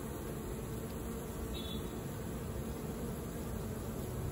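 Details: Honey bees in the evening give a steady, low, droning buzz that hums on without a break.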